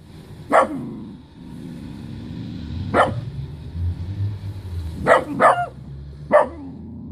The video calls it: Jamnik miniaturtowy z hodowli ArisFCI / Dachshund - szczekanie